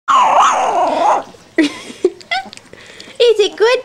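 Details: Boerboel puppies getting their first food: a long, high, wavering whine with rich overtones, then a pause and a series of short, clipped whimpers and yelps. A human voice may also be present.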